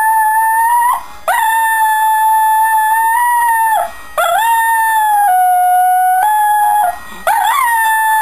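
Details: Buddy, a pet Shetland Sheepdog, howls along to the Coronation Street start and end credits theme: long, steady, tonal howls held for about three seconds each, broken by brief pauses, with the pitch stepping down slightly partway through and rising on a new wavering howl at the end.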